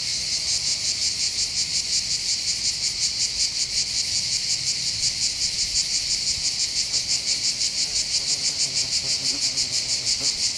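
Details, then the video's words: Cicadas in full song above the port of Bandol, Côte d'Azur, France, on a calm day by the sea: loud high-pitched buzzing pulsing about three times a second, very regular, over faint low background rumble. "accompagné par le champ des cigales"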